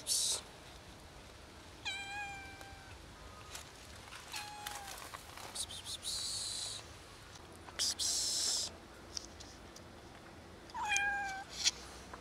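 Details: Sweet three-legged black female cat asking to be fed. Three meows spread over the stretch, one short, one clear, a final rising-falling one, between bursts of a person's 'psst' calls.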